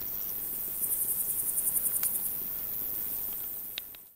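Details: Male Pholidoptera frivaldskyi bush cricket singing in Oleksandrivka, Kirovohrad Oblast, Ukraine, on 5 July 2023; one high, faint, rapid train of about a dozen scratchy pulses over a second, followed by quiet with a few soft clicks.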